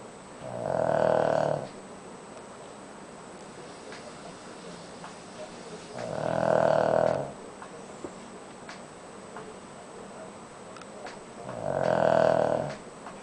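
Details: Sleeping pet Shih Tzu named Koro snoring: three rough, droning snores about every five to six seconds, each roughly a second long, with faint keyboard typing in the quiet gaps.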